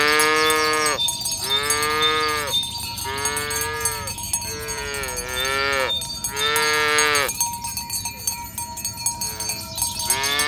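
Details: Herd of tame cattle moving down a village road to the pen in the morning, mooing again and again, about six bellowed calls in quick succession, each a few seconds apart, with cowbells ringing throughout.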